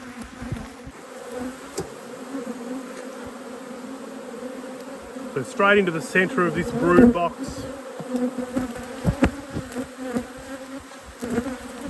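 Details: Continuous low buzzing from honey bees during a beekeeper's apiary inspection, a dense, even drone with a faint high whine above it; a person's voice cuts in briefly midway, and scattered clicks and taps of handling are heard.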